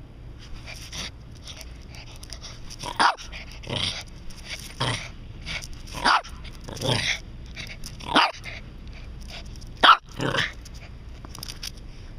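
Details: Pet Japanese Spitz barking during play with a ball, in a play-drive or prey-drive setting: sharp, harsh barks repeated about once a second, some doubled, with quiet pauses between.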